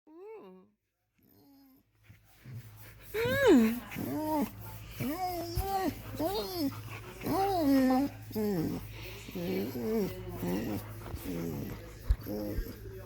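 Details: A 7-year-old female blue merle Australian Shepherd moans in a string of drawn-out, rising-and-falling vocal groans while getting a back scratch she loves.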